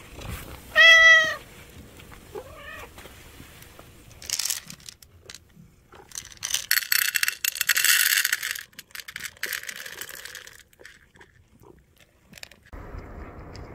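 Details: Anchovy-disliking orange street cat lets out one loud meow and a shorter, quieter second one, after which rustling, scraping handling noises and bursts of hiss take over.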